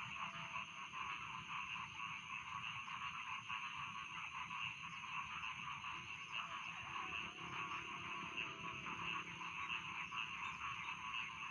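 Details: Night chorus of rice field frogs: an unbroken shrill trilling wall of calls with faint overlapping croaks, plus a low rumbling background.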